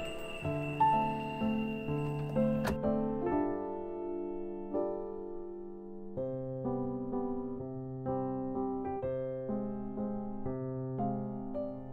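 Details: Gentle electric piano music plays throughout, with chords changing every few seconds.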